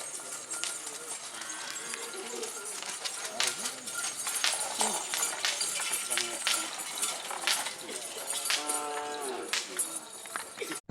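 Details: Madura racing cattle at a Karapan Sapi bull-racing training session on Asemanis field, Pamekasan, Madura, East Java, Indonesia, where the bulls crashed into a fence; drawn-out harmonic moo-like calls come late, over constant crowd chatter and outdoor noise.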